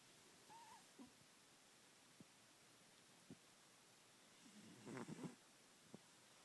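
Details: Cheetah, a Bengal cat, snoring loudly indoors: a few soft low rasping breaths, then a longer rough, rattling snore lasting under a second near the end, over steady faint background hiss.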